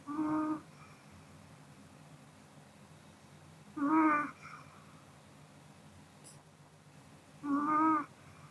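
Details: ['Pomeranian named Kodama snoring while asleep after dinner; three short tonal, whistling snores about 0.5 seconds long, each roughly four seconds apart, over a quiet indoor background.']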